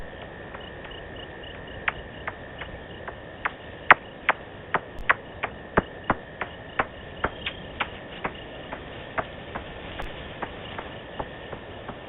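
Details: Bats at night on a wildlife camera in Africa on 7 February 2018 give sharp, metallic clicks repeated two or three times a second over a steady insect hum.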